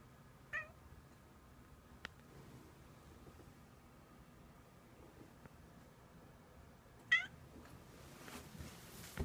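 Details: Cat howling like a puppy, two short rising-and-falling harmonic cries about six seconds apart, the second louder, followed by soft rustling and handling noises.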